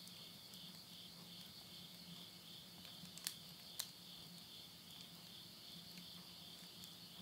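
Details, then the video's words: Late-summer insects near Yurihama, Tottori, Japan, recorded at midnight in September 2020: continuous shrill pulsed chorus, with two loud snaps and soft crackling from burning wood in a house stove. "the voice of insects"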